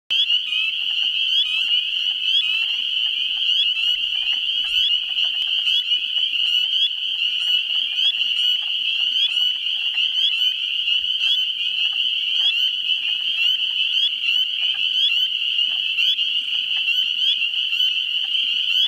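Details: Spring peepers calling in a New Hampshire swamp during the first week of April: a dense, unbroken chorus of high, piercing peeps layered over one another, with a few low, clucking wood frog calls in the background.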